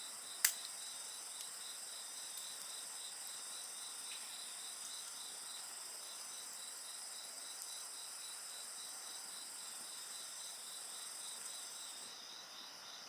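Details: Beside a crackling bonfire, insects keep up unbroken shrill trilling made of stacked high tones, one pulsing steadily. A loud pop from the fire comes near the start and a few faint snaps follow, before part of the chorus fades near the end.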